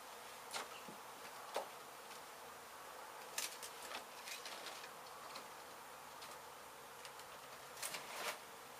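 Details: Honey bees from a hive struck by construction crews at an abandoned home being demolished in Mission, Texas, during their rescue and relocation: a dense, steady buzzing hum broken by scattered sharp clicks and taps of handling.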